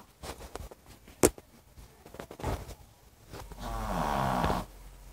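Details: Funny dog snoring indoors in a small room: rough rattling snore bursts, then a long sustained raspy snore around the four-second mark, with a sharp click early on.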